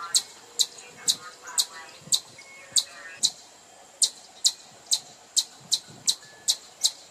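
A chipmunk gives sharp, high chips, repeated steadily about twice a second.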